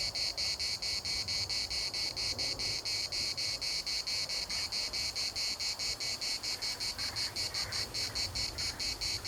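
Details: Chorus of cicadas in Larnaca's municipal park, Cyprus, a relentless high rasping buzz beating in rapid even pulses, slightly quickening toward the end, with light wind and a faint distant call behind.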